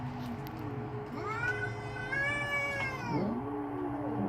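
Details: Angry domestic cat outside in a backyard, poised to fight, giving a long loud caterwaul that rises, holds and falls in a strained, baby-like wail, with a lower drawn-out growling moan from the rival underneath.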